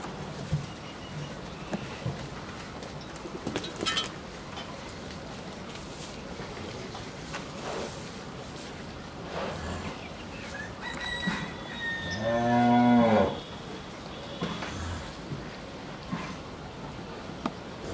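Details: At a dairy farm in Bhangura, Pabna, Bangladesh, a bull for sale lets out one loud, rich moo of just over a second near the end, following a long stretch of quiet rural noise with scattered clicks and faint bird calls.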